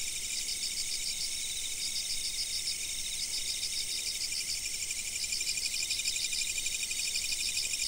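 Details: Insects calling at a fixed camera spot: a dense, shimmering high-pitched chorus with bursts of rapid pulsed chirps repeating in short runs, layered over a constant high hiss.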